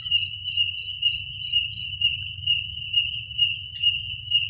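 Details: Crickets calling at night in Indonesia. A continuous high, ringing trill throbs in regular pulses about twice a second, with a second fainter trilling voice joining at times and a soft low rumble beneath.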